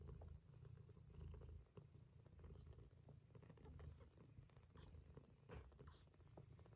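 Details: A mother cat purrs steadily while her kittens nurse, a deep continuous rumble with a gentle rhythmic pulse.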